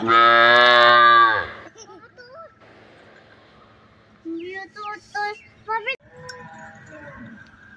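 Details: A cow calf calls with a loud, rich, high bawl held just over a second at the start, followed by quiet gaps and several short, high, chattering human voice sounds as the calf is enjoyed with a small child.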